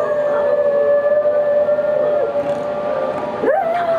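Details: A male Cocker Spaniel who loves to howl gives a long, steady howl that swoops upward near the end, reacting to his favourite scene from Zootopia.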